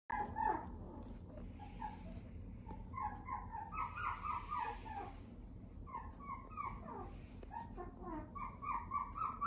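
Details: Toy Poodle puppy whining: a long run of short, high, nasal whimpers and yips, repeated several times a second in uneven bursts, over a low background hum.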